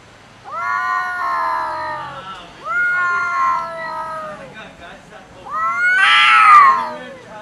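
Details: A cat fight over food, with one cat unwilling to share: three drawn-out wailing yowls, the last turning into a harsh loud screech, then a quieter tail-off.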